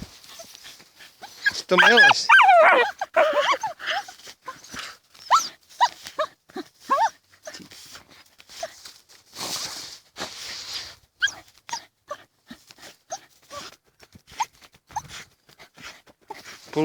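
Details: Dachshunds Tasya and Kessi digging in a field in autumn 2015; a burst of high, wavering harmonic whines and yelps near the start, then scattered short sharp sounds, with people talking throughout outdoors.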